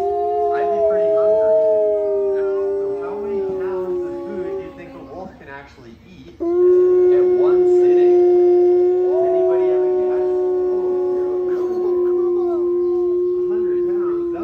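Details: Gray wolves howl in long, steady, mid-pitched tones, several voices overlapping with a brief pause midway.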